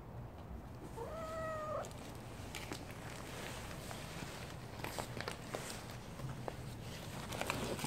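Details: Calico street cat in winter meowing once, a short arched mew early on, then mostly quiet outdoor background with a faint hum and small knocks.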